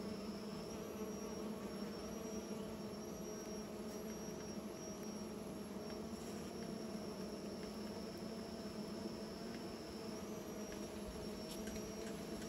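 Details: Bees making new nests, a dense steady low hum with layered overtones running unbroken, while a thin high-pitched whine holds constant in the background.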